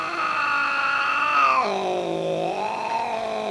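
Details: Carlo, an angry Chartreux tomcat, growls indoors: a long drawn-out, wavering moan with strong stacked tones that drops abruptly in pitch midway, then holds low and rises slightly again.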